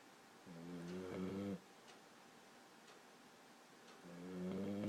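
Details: Sleeping Boxer puppy Maggie, 14 weeks old, gives two buzzy, vibrating snores about three and a half seconds apart, each a rough drawn-out inhale with a slightly rising pitch.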